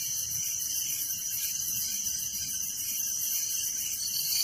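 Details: Night crickets in a village keep up an unbroken, high, shrill trilling chorus, with lower rhythmic pulsing trills underneath and soft low background noise.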